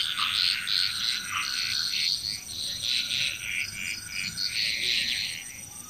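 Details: Many frogs croak at once on Bali, Indonesia, their rasping pulsed calls merging into a loud continuous wall of sound with brief swells, a faint steady high tone behind.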